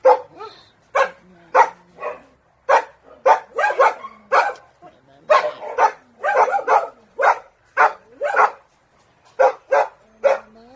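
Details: A dog barking in rapid, uneven bursts of short, sharp barks, some doubled or tripled, with brief whining tones between bursts and quiet pauses.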